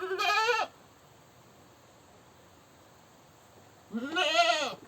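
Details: Goat screaming: a harsh wavering bleat at the start and another longer, strained one after a three-second pause.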